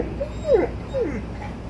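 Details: An impatient male Alaskan Malamute, out shopping with his owner, complains with short, high whines that slide downward.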